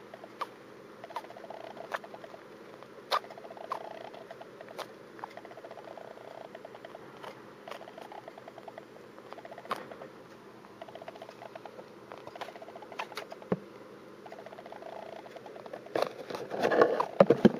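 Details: Pet hamster with a cold sneezing indoors: short, sharp clicks heard as "kyu" or "puh" scattered irregularly over a quiet room background, with a burst of rustling handling noise near the end.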